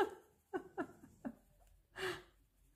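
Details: A young Shih Tzu lying in its basket snores and snorts in short, rough breaths, ending in a longer wheezy exhale; its breathing is noisy from overly narrow nostrils and a palate problem awaiting surgery.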